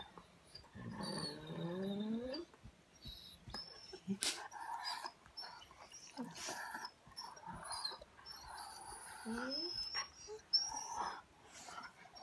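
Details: German Shorthaired Pointer, a pet dog, talking back indoors: drawn-out, wavering moaning whines, rising and falling, in two bouts, interleaved with a person speaking to her.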